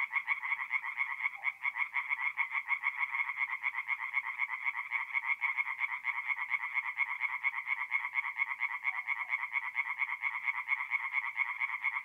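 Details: Tree frogs singing at night in a forest pond in mid-April, north-east Italy: a dense, continuous chorus of rapid rasping pulses, several callers overlapping in a steady churning wall of sound with no other noises.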